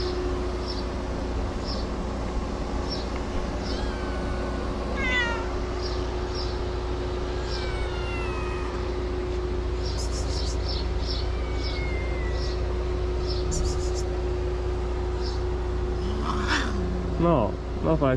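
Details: Stray cats in Morocco gather around the man who feeds them and meow; several rising and falling meows sound over a steady low hum and traffic-like background, with brief clicks and a louder meow near the end.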